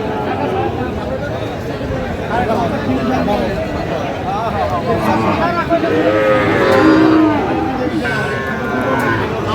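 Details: Sahiwal bull calf at a cattle market on 23 August 2025, bought by an expatriate working in Singapore. Several low, drawn-out harmonic moos rise and fall around the sixth and seventh seconds, over steady crowd chatter and men talking close by.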